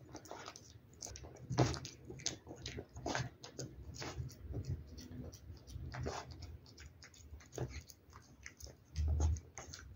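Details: Domestic cat eating wet food, recorded close up indoors: wet smacking and crunchy chewing clicks come in quick irregular bursts, with a few louder bites standing out against a low room hum.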